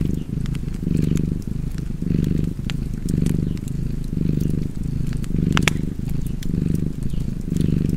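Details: Purring cat near a fireplace, its low vibrating rumble pulsing in even in-and-out breaths, about eight cycles, while crisp fire crackles and a louder pop break in.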